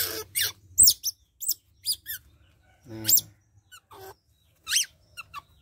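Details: Baby otter around a month old during bath time, giving scattered shrill squeaks and chirps in quick bursts, mixed with a lower buzzy murmur and brief handling noises.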